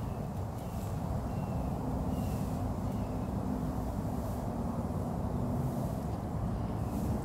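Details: Steady low rumble with broadband outdoor noise, like distant traffic or wind, and no clear animal sound.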